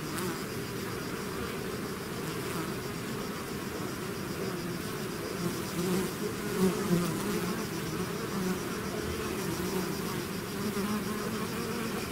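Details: Continuous hum of a bee swarm exiting its hive, many overlapping wingbeat drones with passing bees swelling louder around six to seven seconds, a faint high whine steady above.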